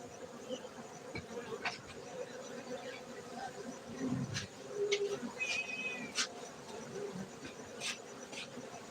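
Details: Continuous low hum of many honey bees at a cultivated apiary in Gayo highlands, Bener Meriah, Aceh, Indonesia, with scattered sharp clicks, a brief whistled note midway and passing louder buzzes.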